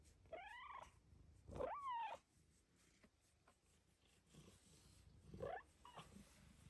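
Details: Female cat Luxe meows in joy while petted on her closet shelf in the morning: three clear meows, the middle one longer and rising then falling, in a small quiet room with faint background hiss.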